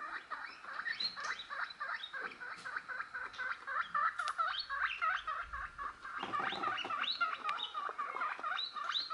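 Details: A pet guinea pig reacting to recorded guinea pig noises; a rapid, steady stream of high, chirpy squeaks, several each second, is heard.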